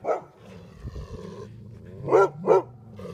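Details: Pair of Golden Retrievers confronting a porcupine: a short bark, then low rumbling growl-like sound, followed by two quick sharp barks close together and a softer final yelp.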